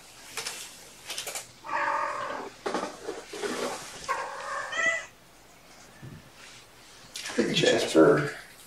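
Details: Indoor afternoon play time with mother cat Gamora and her five kittens, born April 14: several short harmonic meows with rising and falling pitch, overlapping a person talking softly to the kittens, with light rustling between calls.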